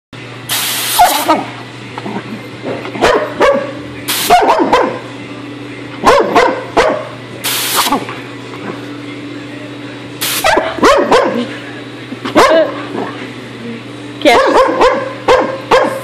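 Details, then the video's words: Dog freaking out and attacking an air hose, giving repeated sharp harmonic barks and yips in bursts, interrupted by loud hissing blasts of air from the airgun hose, a steady low machine hum underneath and a person saying sit. "Dog attacking air-hose"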